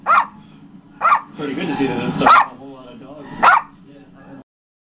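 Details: A Yorkshire Terrier barks at a barking dog in a video playing on a computer, giving sharp, high-pitched barks about a second apart, with a human voice between them.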